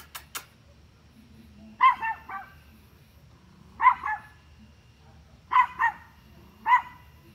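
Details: A dog barks at deer in short bursts, single and double woofs spaced a second or two apart.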